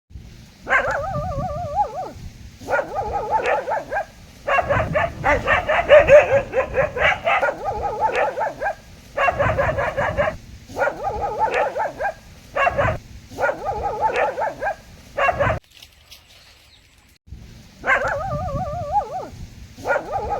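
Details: Dog barking in short bouts of rapid, yelping barks, each burst a second or two long and split by brief pauses, with a longer quiet gap near the end before the barking resumes.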